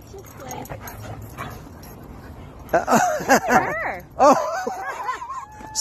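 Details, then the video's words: Happy German Shepherd meeting friends at a playground gives a quick run of high, arching whimpering yips in the second half, after a quiet start, with people speaking softly nearby. "German shepherd meeting friends at playground happy dog meet"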